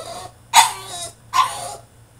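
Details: French Bulldog, male, shut in his cage and throwing a tantrum, lets out two loud, hoarse barks about a second apart, each breaking into a rough, breathy trail.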